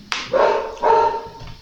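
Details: A teacher's own dog barking at home during a live online class: a sharp noisy onset followed by two harsh, harmonic barks of about half a second each, over quiet room noise.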